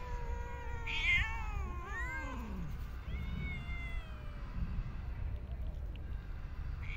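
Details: Street and park cats being fed in an urban setting, several clear harmonic meows in quick succession, some rising then falling, overlapping at times, over steady low traffic rumble.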